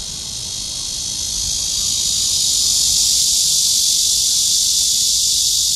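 A cicada sings a steady, hissing drone that swells slightly and then holds loud and unbroken.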